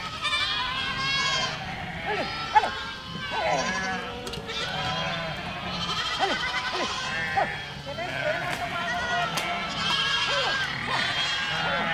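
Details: Goats herded through a village produce many overlapping shaky bleats, coming in waves every few seconds, with a few sharp knocks mixed in.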